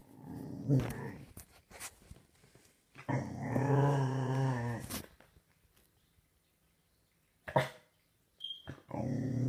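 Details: A six-month-old Staffordshire Bull Terrier puppy growls loudly in deep, rumbling bursts.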